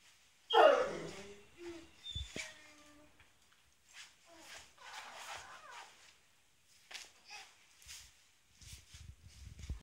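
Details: A Great Dane plays with a toddler's toy, grabbing it before the child does, and gives one loud, wavering whine, followed by faint rustles and clatters.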